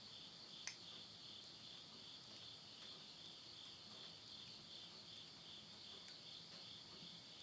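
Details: Countryside insects around midnight in Tottori, Japan, September 2020, end of summer, recorded beside a stove fire: a continuous high shrill chorus holds steady, while a few crisp pops of burning wood stand out.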